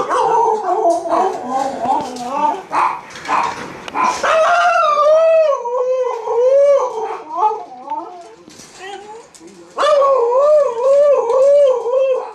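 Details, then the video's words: Two Siberian Huskies howling for their supper: loud wavering yodel-like howls that overlap, pitch rising and falling in undulating waves, with brief pauses and a renewed strong howl near the end. "Husky Howls"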